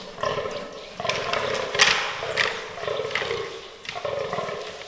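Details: Fallow deer bucks in an autumn forest during the rutting season, in a herd that includes albino and black animals. Harmonic groans rise and fall in uneven bursts, with sharp clicking knocks near the middle and a rough, noisy background.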